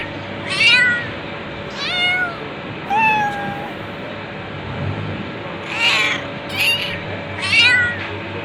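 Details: Cat meowing repeatedly, about seven short, bright meows spaced roughly a second apart, several sliding down in pitch at the end, over a steady low background hum.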